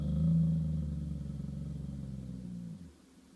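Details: A Golden Retriever defending his territory in a standoff with a squirrel gives a low, rumbling growl that holds steady for nearly three seconds, then stops.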